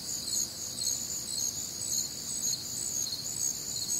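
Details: Crickets calling together through a humid Midwestern summer night, many shrill chirps pulsing about twice a second over a steady high trill, continuous insect chorus only.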